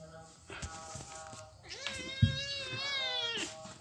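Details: Pitiful kitten crying with one long, drawn-out mew that swells and slowly falls over about two seconds, preceded by soft clicks and handling knocks against a low background hum.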